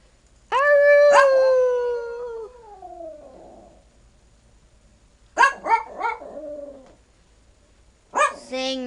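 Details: A tiny 12-year-old male Yorkshire Terrier sings on command, starting from barking: long howled notes sliding slowly downward, then shorter wavering yelps, with a person urging him to sing and brief music.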